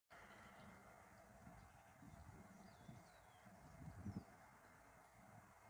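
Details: Leopard in mating season at Mala Mala: short low rough growling bursts, loudest near the fourth second, over a steady engine-like hum, with faint thin bird chirps high above.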